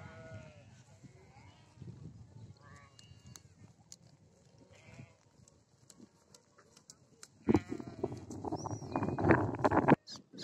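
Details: Goats in Odisha, India: after several seconds of quiet rustling and faint background sounds, a loud, wavering, harmonic bleat swells near the end and holds for about two seconds before cutting off.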